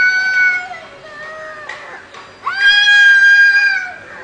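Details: Fighting cats: a fading, wavering moan, brief scuffling noises, then a loud, sustained, slightly rising yowl lasting over a second.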